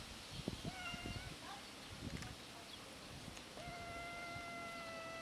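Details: Hungry cats met outdoors, meowing from hunger: a short meow, then a long, steady, level-pitched meow, over constant background noise and scattered rustling and knocking sounds.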